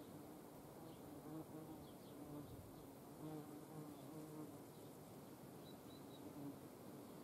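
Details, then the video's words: Hornet flight buzz recorded while hornets are hand fed outdoors in the Eifel: a dense, continuous low drone with wavering tonal hum that rises and falls gently throughout. "Hornissen vor der Kamera. Handfütterung"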